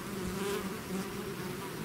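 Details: Swarm of bees pouring out of its hive, a dense steady buzz of many wingbeats with bands of drone holding near a low hum and its overtone, flickering slightly as individual bees pass.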